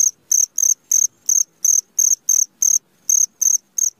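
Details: Cricket calling in the middle of the night, giving clean, high-pitched chirps in an even train about three per second over a silent background, with one brief skipped beat.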